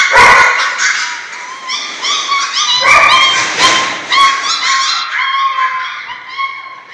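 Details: A litter of German Shorthaired Pointer puppies at six weeks old whimpers and yips, several high, bending whines overlapping with short sharp yelps and a few louder broadband bursts.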